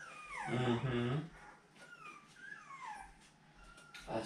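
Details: Seven-week-old puppies of a dog named Fancy, handled while their pen is changed out on 10/18/2020. A low human voice opens, then thin, high whines glide downward one after another, with a softer whimper near the end.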